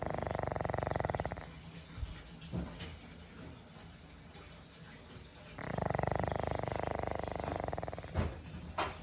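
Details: Old pug snoring in a human-like way. Deep, rattling pulsed snores come in two long breaths, each lasting one to two seconds, with quieter breathing between them.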